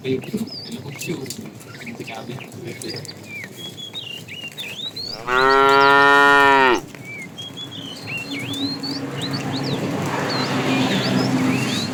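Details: Fat cow in a tame herd being herded in the afternoon, calling to the female: a loud drawn-out moo near the middle, flat and harmonic, amid steady bird chirps and a rising background rustle.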